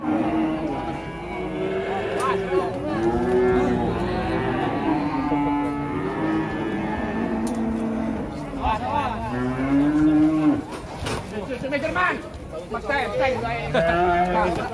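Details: Cattle in Indonesia after the Idul Qurban (Eid al-Adha) holiday, several animals mooing in overlapping, arching low calls that rise and fall, repeating through the recording with background music and clapping.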